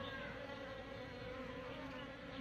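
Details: Asian honey bees trapped inside a mosquito net, a steady dense buzzing hum with layered droning tones holding through the whole stretch, no other sounds.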